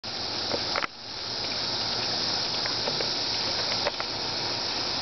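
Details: Cicada buzzing as a loud, steady, hissing drone that cuts out abruptly for an instant near the start, then swells back and holds. A few faint clicks sit underneath.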